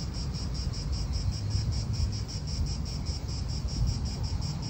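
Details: Real park atmosphere in Italy with cicadas, whose shrill buzz pulses rapidly and evenly, a few beats each second, above constant low wind roar and distant car noise.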